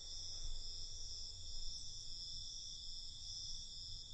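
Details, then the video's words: Crickets singing at night, a constant high, ringing chorus of layered trills without breaks, set against a quiet low hum of outdoor noise. "Night Cricket Sound"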